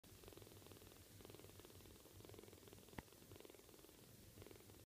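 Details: Orphaned, bottle-raised five-week-old female kitten purring contentedly after finishing her milk, sleepy and happy; a steady low rhythmic purr pulsing about four times a second throughout, soft and close, with one brief click near the middle.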